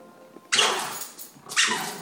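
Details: Jack Russell Terrier, female, barking at a cat outside while holding a squeaky toy in her mouth; two muffled, broad barks about a second apart, the second sustained and strained.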